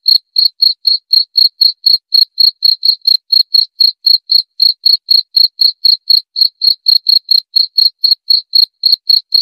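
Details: A cricket's repetitive high chirping, presented as natural rat repellent and insomnia therapy: crisp pulses around four per second, regular and continuous throughout, nothing else audible.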